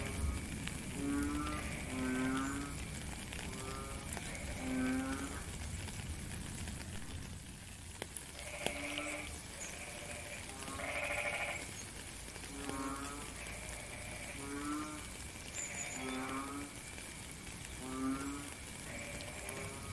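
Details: A frog chorus sounds through steady rain. Short, deep, droning notes alternate with rasping, rapidly pulsed calls at a higher pitch, with many callers answering one another throughout.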